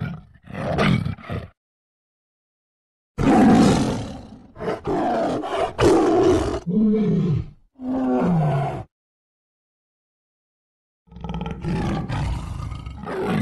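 Deep, rasping roars and throaty snarls come in rough bursts of a second or two, separated by brief pauses. These are the aggressive roars tigers make when fighting one another.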